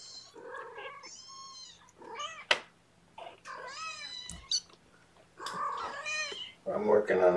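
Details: Several young guardian kittens indoors on the morning of 8 May 2018, during a syringe feeding of formula, give high, wavering meows in short bursts, with a person's voice and handling noises between them.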